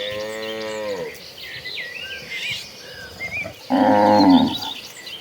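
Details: Cattle moving in a herd toward grassy pasture: a long low moo opens, then a gap full of bird whistles and chirps, then a second loud, brief bellow.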